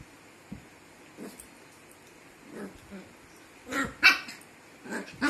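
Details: Puppy voice in a home: a few short, sharp yips and barks, two louder ones close together near the end, with faint clicks and household noise around them.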